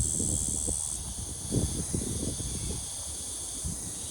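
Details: Brown bunyip cicada calling song, recorded 3 February 2023: an even, unbroken high buzz that shifts slightly after a second, with low rustling and rumbling underneath.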